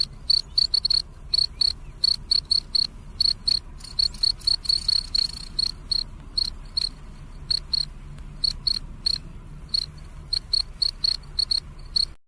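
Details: At night a cricket chirps almost continuously, crisp high tones repeated several times per second in a steady, slightly irregular rhythm, with soft background noise beneath.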